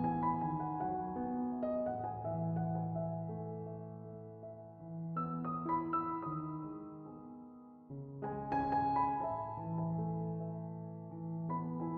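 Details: Gentle piano music plays throughout, slow melodic phrases over sustained low notes, with no animal voice.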